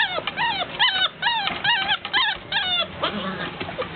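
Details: Golden Retriever puppies wanting out give repeated rising-then-falling whimpers, about one a second, overlapping into a steady plaintive chorus of high whines.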